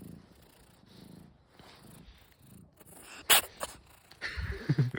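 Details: A cat sneezing: soft, low purring runs for about three seconds, then one sudden, sharp, hissing sneeze bursts out, followed by a few snuffly bursts near the end.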